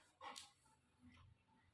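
A Golden Retriever gives a brief, high, whiny grumble to scold her owner for repeatedly calling her.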